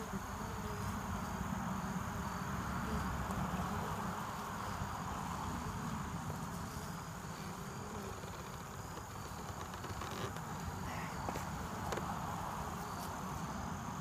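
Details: Honeybees at a hive entrance in the early evening, returning with pollen and nectar for winter as flights wind down for the day; a steady, dense droning hum with low rumble and scattered faint clicks throughout.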